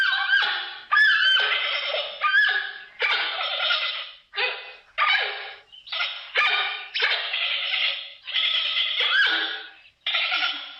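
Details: Giant panda giving repeated nasal bleats and squealing cries, closely strung together at about forty-five per minute, each call rising in strength then fading before the next; harmonic and tense, no background noise.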